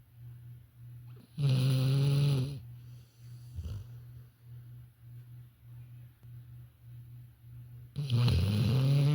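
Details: Sleeping female Labrador Retriever named Violet snores with a deep, fast-pulsing drone, and two loud, harsh, gravelly snorts stand out at about one and a half and eight seconds.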